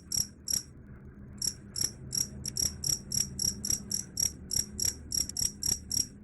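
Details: A cricket, whose sound is said to chase off rats, gives two chirps, pauses nearly a second, then resumes rapid shrill ringing chirps about four per second, over soft low background noise.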